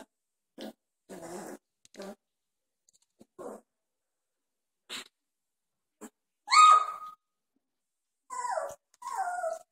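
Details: Two-and-a-half-week-old Doberman puppies at play, newly growling often; soft scattered grunts and short growls, then two sharp rising-falling yelps near the end.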